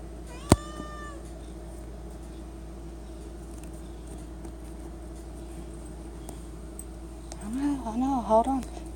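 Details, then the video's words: Cat at home begging for Friskies treats by the pantry, one of several kitties; a short loud high meow near the start, then quiet room tone and a cluster of wavering mid-pitched meows near the end. "The cat that camp at pantry for friskies treats!!"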